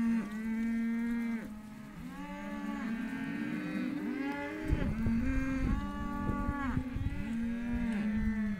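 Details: Hereford calves at a sale lot mooing in turns, long steady bellows of about a second each, some ending with a drop in pitch, several callers overlapping, with a few thumps of movement.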